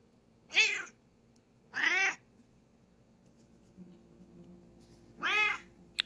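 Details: A female Bengal cat gives three short, bright meows with rich harmonics, spaced a second or more apart, right after her owner sneezes, as if saying "bless you".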